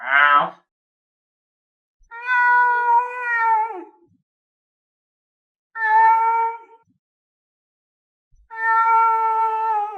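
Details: Lynx meowing in a series of four calls a few seconds apart: a short rough opening note, then three long, level, harmonic-rich meows separated by silence.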